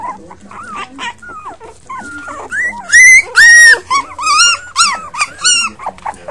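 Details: A litter of five puppies yelping, with shrill, rising-then-falling whines that come in quick, uneven bursts, a few loud squeals in the middle and soft speech in the background.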